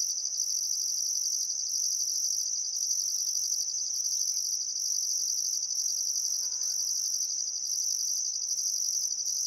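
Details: On a still summer afternoon at sunset near the Barcoo River, Welford National Park, Queensland outback, crickets keep up a continuous piercing trill. A higher layer pulses in long regular bursts, and a faint low flutter passes midway.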